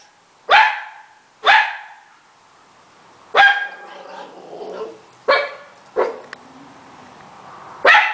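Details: Italian Greyhound barking excitedly indoors: six sharp, loud barks spread unevenly over about eight seconds, with quiet gaps and a faint low whine between some of them.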